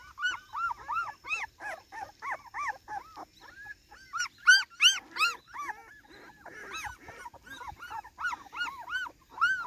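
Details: Cardigan Welsh Corgi making its garden debut on 13 September 2024, wildly excited: loud, clear, arching squeals repeated about three times a second, with a shrill peak in the middle and brief pauses between bursts.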